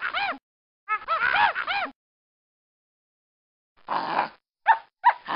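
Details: Monkey calling in quick runs of arched, harmonic screeches, a few close together, then after a pause harsher, noisier bursts and short squeaks; no other sounds heard.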